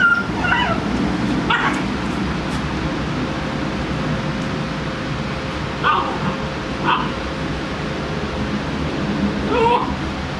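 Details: Seven-week-old fawn Great Dane puppies, rough-housing and playing, let out brief, high yips, whines and whimpering barks in scattered bursts a second or two apart over a low steady hum and faint rustling; finding: Great Dane.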